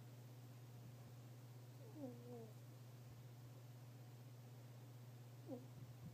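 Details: Sleeping fennec fox snoring very softly; two thin, falling whistle-like squeaks about three seconds apart stand out against a constant low electrical hum.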